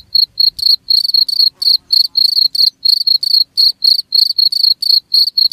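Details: Cricket calling in rapid high chirps, some short and clean, others broader and buzzier, grouped in uneven bursts that overlap like two insects trading calls over near silence.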